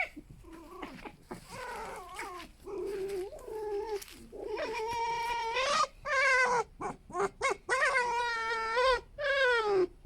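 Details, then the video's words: Pet fox rescued from a fur farm, living with other foxes, squeaking in a noisy contest for control: harmonic whining cries, wavering and rising, soft at first, then louder, in bursts about once a second with short pauses. "Звуки лисы: скрипят снова"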